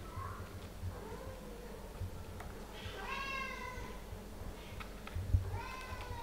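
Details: Mother cat Ophelia playing and talking with her kittens Pixel, Garfield, Bianca and Caramel indoors; several clear meows, some thin and falling, two louder drawn-out harmonic calls rising then dropping, with light tapping and rustling.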